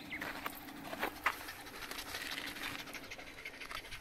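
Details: Shiba Inu dog panting at a park drinking fountain after a lap of the park, early summer, June 2021, in a dry rainy season; quick breathy bursts of panting over a faint steady hum, with a few short sharp chirps.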